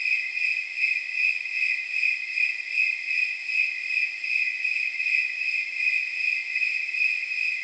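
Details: Snowy tree crickets calling on a warm night of about 79 degrees, their high ringing chirps blurring into a near-continuous shimmering trill, with the pulses less distinct and evenly spaced than usual.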